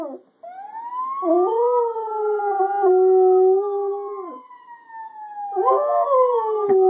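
A Siberian Husky gives a long, drawn-out howl that wavers and slowly slides downward.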